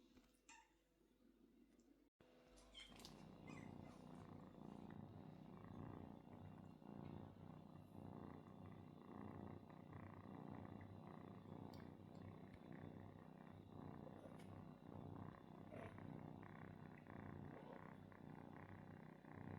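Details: Kitten nuzzling its father cat for milk after confusing him with its mother, with a loud, steady, low rumbling purr running throughout and a brief quiet gap near the start.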